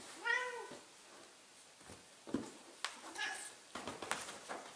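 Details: Millie, a 15-year-old female Ragdoll cat, calls indoors during wrestling play, the game she howls for from her chair; one short arching meow opens, followed by rustling, thumps and a human voice.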